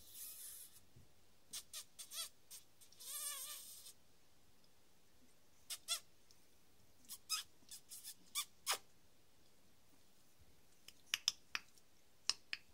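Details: Three-week-old Staffordshire Bull Terrier puppies, awake and teething after drinking milk, being distracted at bedtime; a short, high, wavering whimper with stacked overtones rises near the middle, among scattered sharp clicks and soft rustling.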